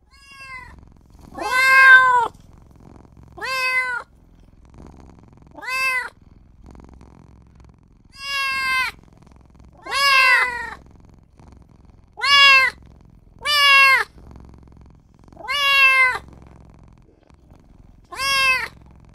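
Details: Kitten only just born, crying for its mother and owner: about ten short, shrill meows spaced roughly every two seconds, each a quick rise and drop in pitch, over a soft hushed background.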